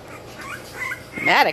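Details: English Bulldog puppies, twenty days old, indoors: soft high whines at first, then a louder rising-and-falling whimpering yip near the end, with strong harmonics, over a quiet room hum.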